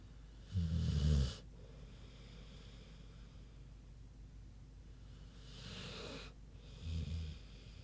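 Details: Big pig Queenie snoozing: a loud deep vibrating snore lasting under a second, a long quiet pause with soft breathing hiss, then a second airy breath and a shorter low rumbling snore.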